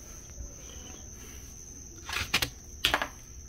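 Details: Cricket calling with a steady, thin, high-pitched continuous tone that holds unbroken throughout, interrupted near the end by two brief loud broadband rustling bursts.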